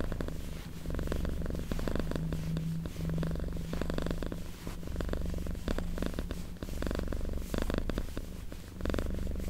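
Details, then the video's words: Domestic cat purring softly at close range: continuous low pulsed rumble with gentle rises and falls, plus faint crackling and rustling noises throughout. "Purring Cat ASMR"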